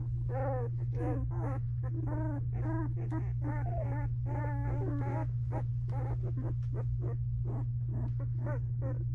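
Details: Belgian Malinois puppies, two weeks old, whine and cry in a whelping box with dense, overlapping, wavering calls in the first half that thin to short squeaks later, all over a constant low electrical hum.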